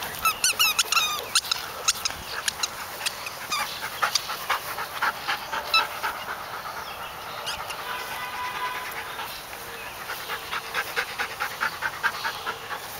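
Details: Wirehaired Pointing Griffon from a litter, out at a park, giving rapid strings of thin, squeaky high yips and whines, some bursts repeated several times a second, with quieter pauses between.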